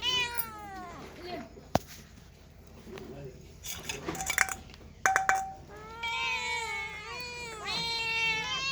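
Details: Cats and kittens meowing: one falling meow at the start, then sharp clicks and knocking handling noises, followed by three closely spaced, bright, wavering meows near the end, with a low hum underneath.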